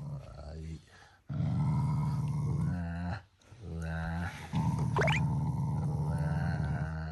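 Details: Pet Shiba Inu growls at its family as an expression of affection, not anger; deep continuous rumbles in three long stretches separated by short breaths, with a brief high squeak in the middle.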